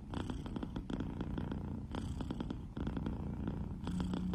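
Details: Cat from a Douyin compilation purring close up, a deep, continuous, rapidly pulsing rumble swelling with each breath and pausing briefly between breaths.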